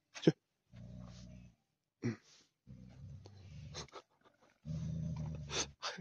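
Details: Tibetan Mastiff named Daniu at a mine, in hunting mode, voice likened to a lion's: three deep, rumbling growl bouts about a second each, broken by scraping and knocking noises.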